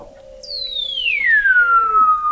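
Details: Weddell seal under Antarctic sea ice in McMurdo Sound, November 2017, recorded 21 m below the ice: one loud, pure whistle sliding smoothly downward over two seconds, with a softer lower steady tone beneath it that drops at the end.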